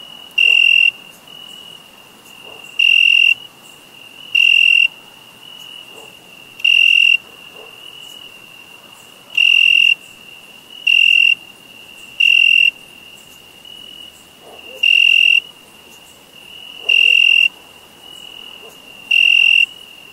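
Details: Summer crickets give eleven shrill, high chirping bursts at uneven gaps of one to three seconds, over an unbroken thin high-pitched background trill.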